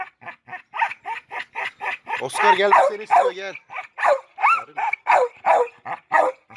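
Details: Oscar, a red nose pit bull, reunited with chocolate red nose Müdür for mating, keeps up a fast run of clipped barks, roughly every half second, broken by a drawn-out whining yelp partway through.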